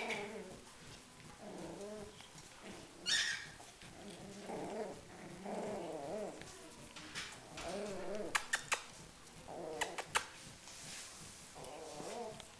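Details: Schipperke dogs fighting: a run of low, throaty growling and grumbling bursts, each a second or so long, broken by short pauses, with a few sharp clicks and knocks late on and a quiet room background.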